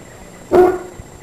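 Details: Norfolk terrier from a pack including the adult Becky and puppies Gin and Garbo; a single short, loud, tonal bark or yip against quiet background hiss.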